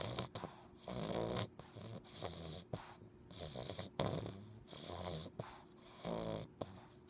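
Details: A sleeping English Bulldog puppy snores in rough, rattling bursts, each breath roughly a second long, while wiggling his toes in his sleep.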